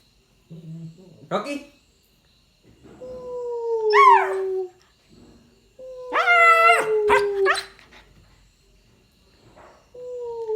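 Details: Nine-week-old Rottweiler puppy copying its owner's sounds, giving short rising yelps that slide into falling howls, with a louder rich wail midway, a soft human voice near the start, and breaks of silence between calls.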